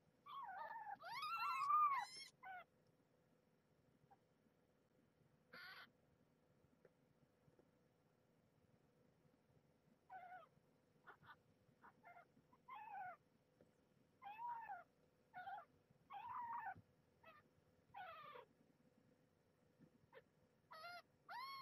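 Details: Nursing kittens of the former stray Marge squabble at feeding time, Maggie guarding her spot. One loud arched squeal opens, then after a quiet gap a run of short, clipped mews and chirps in uneven bursts.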